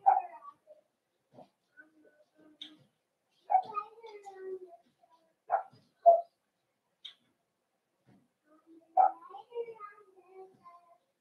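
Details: Cavalier King Charles Spaniel puppies in their home puppy pen, meeting several older dogs for socialization: short sharp yips and whining bursts at uneven intervals, some sounding in quick pairs, with a person's voice murmuring between them indoors.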